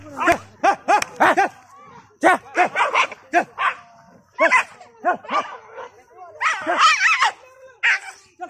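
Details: Dog barking repeatedly in short harmonic yaps, grouped in rapid bursts of three to five separated by brief pauses, while people chatter and laugh close by; the dog is said to have bitten someone that day.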